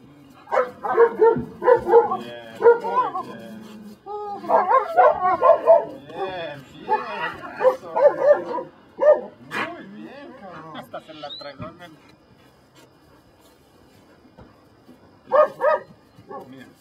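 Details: Belgian Malinois in Mexico doing control work for personal protection training, bursts of fast, excited barking and yelping with a handler speaking Spanish commands; barking fades after nine seconds, then returns briefly near the end.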